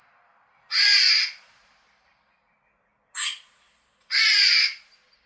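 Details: Rough, grating squirrel chirps in a natural setting. The tail of one call fades at the start, followed by a loud burst, a short clipped one and another full raspy call.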